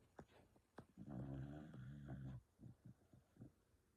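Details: Dog asleep and snoring: a low, gravelly snore of about one and a half seconds, then several short, soft exhaled puffs spaced a fraction of a second apart.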